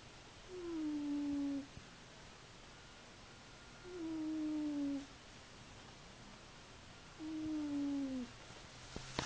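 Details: A cat asleep indoors snores in steady, low, humming breaths, three drawn-out tones spaced about three seconds apart over a quiet background hum.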